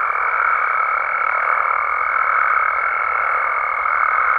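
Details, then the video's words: Nighttime frog and toad chorus in Mexico, a dense, ringing drone of overlapping calls topped by a strong, steady high whistle lasting throughout. "Mexican Frogs & Toads Sounds"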